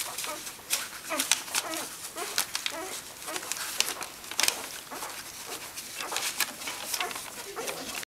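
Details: Nursing litter of Welsh Springer Spaniel puppies with mother Megan on 18 February 2011; dense smacking suckle clicks throughout, broken by brief low grunts and soft squeaky whines from the feeding pups.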